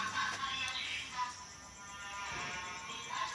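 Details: Continuous music with a sung or synthetic voice fills the room, with faint speech and no animal sound heard.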